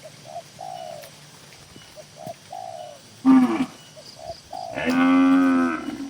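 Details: Tame cattle kept in a crowded farm barn: doves coo softly for the first few seconds, then a short moo is followed by a longer, steady, loud one.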